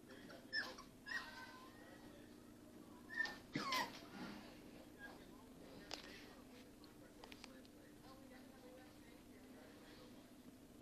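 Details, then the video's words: Pembroke Welsh Corgi mother with her first litter of puppies indoors; thin high whimpers and yips come near the start and around four seconds, then fade to quiet over a steady low room hum. "Corgi and her puppies"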